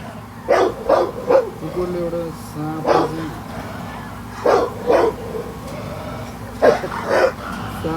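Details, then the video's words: Dog fighting a snake. It gives sharp, hoarse barks in quick pairs and triplets, separated by pauses of one to two seconds, over a steady background hum. "सांप संग लरदै कुकुर"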